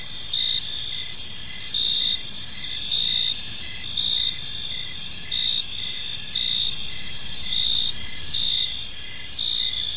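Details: Several crickets chirp together in a park as evening falls, making a constant high buzzing drone. Short pulsed chirps beneath it repeat about once a second throughout, and nothing else breaks the insect chorus.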